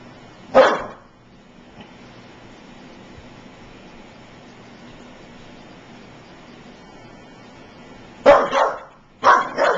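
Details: Five-month-old American Staffordshire Terrier puppy meeting running electric clippers for the first time: one sharp bark, a long pause filled by the steady hum of the clippers, then two more barks near the end.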